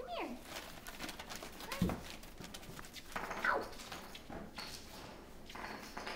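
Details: Five-week-old mastiff pups giving short, high, descending whines, one sliding down at the very start and another a few seconds later, while people talk and bumps and knocks sound nearby.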